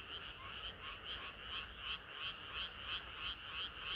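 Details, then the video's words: Chorus of many frogs on a hot summer night: rapid rhythmic croaking pulses, roughly three per second, layered over a continuous high shimmering drone of more distant callers. "개구리들의 합창은 끝이 없어라"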